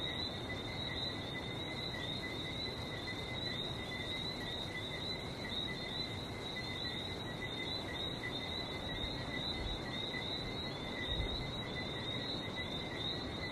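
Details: Barbados frogs in full chorus, a dense, unvarying high whistle-like ringing on two pitches that never stops, over gentle ocean surf rumbling in the background.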